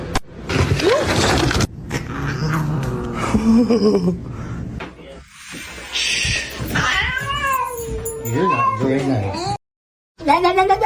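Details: Kitten meowing in a funny cat compilation: several arched, whiny meows, each rising and dipping, near the end, mixed with overlapping human chatter, music and household noises.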